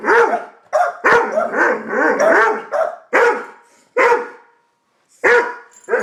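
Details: A Doberman and a Boston Terrier agitated by a bird in their pond bark in quick runs of harsh, mid-pitched barks, then spaced single barks about once a second near the end.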